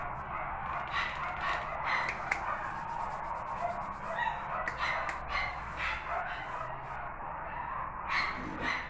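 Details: Female West Highland White Terrier wearing a pink ribbon, giving scattered sharp barks and yips at irregular intervals, several close together early on and another near the end, over a steady background hum.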